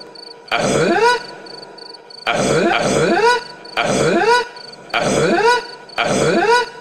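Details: A rare Taylor's tree frog gives mating calls: drawn-out, groaning croaks that bend in pitch, repeated about every second and a half.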